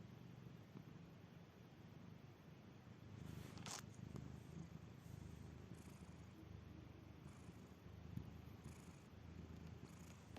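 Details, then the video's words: Domestic cat in deep sleep, snoring so that it sounds almost like purring: a soft, continuous low rumble with gentle rhythmic swells, and a brief rustle a few seconds in. "This cat doesn't just snore, it practically purrs!"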